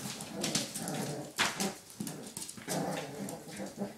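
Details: Among five puppies playing, soft whimpers and low grumbling growls run together, broken by one sudden sharp yelp and a few short squeaks.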